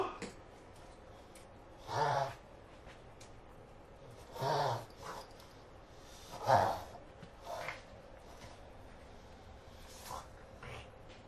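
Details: Prince Giovanni the pug reverse sneezing; four loud snorting gasps, each about half a second long, spaced roughly two seconds apart, then fainter snuffles in a quiet room.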